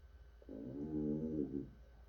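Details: African bullfrog, also called pixie frog: one deep, drawn-out lowing croak lasting just over a second, rich in harmonics and steady in pitch, rising and fading smoothly against a faint low hum.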